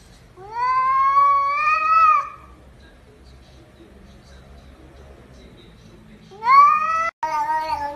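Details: Domestic cat from a compilation of "talking" cats, giving two drawn-out, rising, whiny meows, the first about two seconds long, the second shorter and cut off, separated by a quiet pause in an indoor setting.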